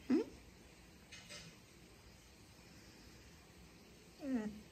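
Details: Reese, a female dog, 'talking' indoors: a short rising-falling whine at the start and another drawn-out whine about four seconds later, quiet room between them.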